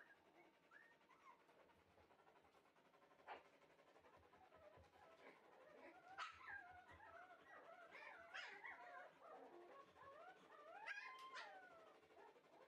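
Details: Red male Shiba Inu puppy, bred for show, giving high whining whimpers and short yips that overlap and rise and fall, growing busier and louder in the second half, with a faint indoor hum behind.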